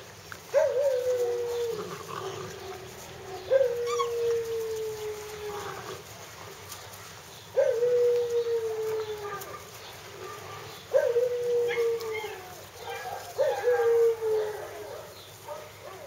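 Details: Hungarian Vizsla puppies crying in a series of five long whining howls, each starting with a sharp rise then sliding slowly downward, spaced roughly three seconds apart.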